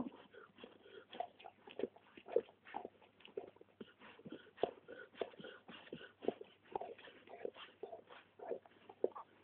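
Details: Young Labrador Retriever litter at a kennel in Poland, sire Poolstead Pol Roger: a steady stream of brief squeaky whimpers and soft yelps, overlapping and irregular, with faint background noise.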